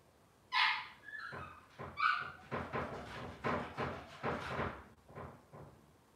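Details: Robin's Cavalier King Charles Spaniel puppies on an indoor livestream: high whines at the start, then a run of rapid broadband yips and squeals roughly twice a second amid scuffling.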